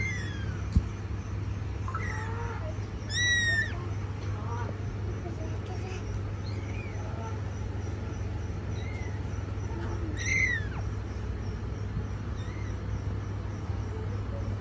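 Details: Cat mother looking after her babies: scattered thin high mews, a bright burst near the start, a few faint ones in between, and another sharp cry toward the end, all over a steady low hum.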